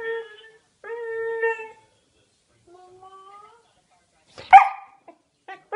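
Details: A Siberian Husky puppy on speakerphone 'talks' with drawn-out, wavering, tonal whines that the owner hears as "mama", then gives a sharp yelp.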